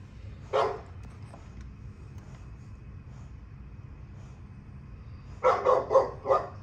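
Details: Playing female dogs from a kennel: one lone bark early, a long quiet stretch with low rumble, then a rapid burst of four barks near the end.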